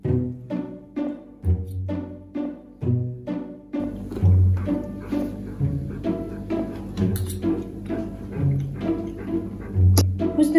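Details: Plucked double bass and bowed strings play a bouncy, stop-start pizzicato tune, with short repeated low notes and no animal voices.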